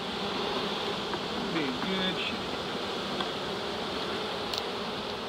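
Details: Large early-season reproductive honey bee swarm of close to 7 lbs being captured in Dale County, Alabama: a dense, steady roar of buzzing wings with a brief faint voice in the middle.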